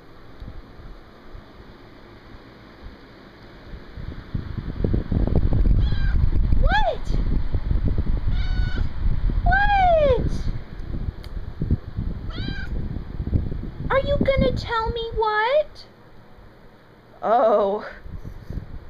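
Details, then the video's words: Indoor male pet dog, recorded June 7, 2012, approaching a person to whine for attention. A series of high, arched, nasal whines comes in short bursts, several crowded together late on, over rustling, thumps and occasional human speech. "Echo Whines"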